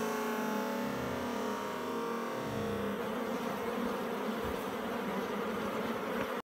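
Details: Honey bees coming and going at the hive entrance in early May 2016, foragers carrying packed pollen baskets: a dense steady buzzing hum of many wings, with a tonal drone in the first half giving way to rougher buzzing.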